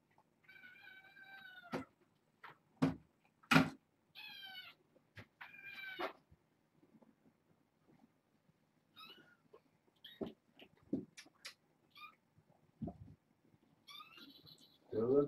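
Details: Bedtime indoors with a litter of six kittens born August 29th, four girls and two boys; several clear, short harmonic meows in the first six seconds, separated by loud clicks, then fainter cries and knocks.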